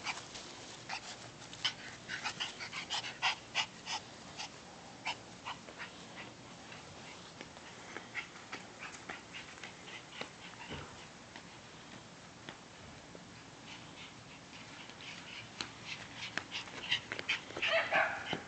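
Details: Two cream Shiba Inus playing make quick, scrappy bursts of yips, snuffles and soft growls in rapid succession.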